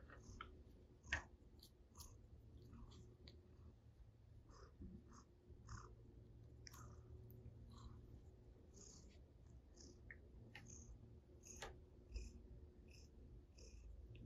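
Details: Russian Blue cat that came to the owner's table to play, purring indoors: a soft, steady low rumble running through the whole stretch, broken by frequent small clicks and tapping sounds of play and handling.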